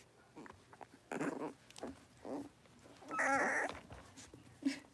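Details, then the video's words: Five young blenheim Cavalier King Charles Spaniel puppies playing together in an indoor home pen, born at New Year; short scattered yelps and whimpers come in bursts, the loudest a high squeaky cry, amid rustling and scuffling of play. "Cavalier Puppies Livestream: Playing, Barking"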